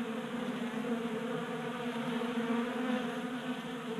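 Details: Honey bees feeding from a 3D printed feeder in a Colorado garage during a warm January spell. A thick, steady wing hum with a low fundamental and clear overtones, and small pulsing fluctuations as bees hover.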